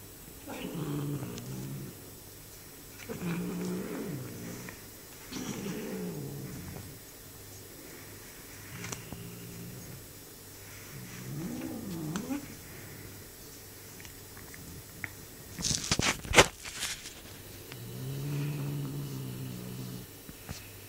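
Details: Male Bengal cat growling while munching on his owner's hand: low, rumbling growls in about six separate bursts of one to two seconds, with a brief sharp clatter near the end.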